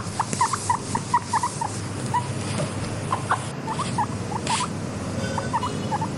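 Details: Content pet guinea pig wheeking: brief upward-sliding squeaks in small clusters, some doubled, set against a soft low background hum.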